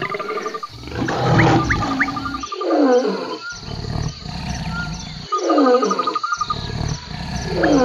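A lion gives three deep, rasping roaring bursts, each about two seconds long, with short pauses between. Faint high insect ticking and whistled notes sound in the background.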